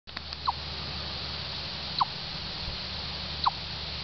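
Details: Chipmunk in Orr, Minnesota giving three short, sharp chips, each a quick downward-sliding note about a second and a half apart, over a steady low hum.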